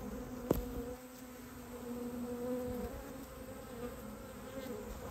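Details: Steady low hum of a Japanese honey bee colony nesting in a storehouse during its removal, a continuous even drone with one brief click near the start.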